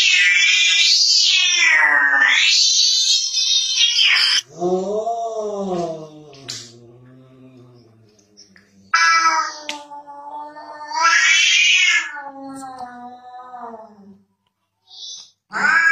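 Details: Kitten from a cute funny cat compilation letting out two long, high, harmonic yowls that dip and rise in pitch, separated by a lower, softer, wavering cry, with a short sharp yelp near the end.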